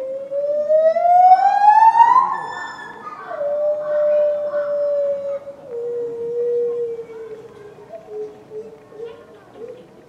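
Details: A long, rising wail from the captive lar gibbon Mitsu at Tama Zoological Park, February 2020, swells loudly, then breaks into steady held tones. These step slowly downward and fade into softer short notes against low background noise.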